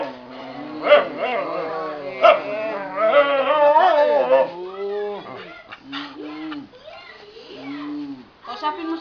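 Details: Hungry pet dog, Lolong, asking for food with drawn-out, wavering whines and yowls that rise and fall like talking, repeated several times, mixed with people coaxing it in Tagalog.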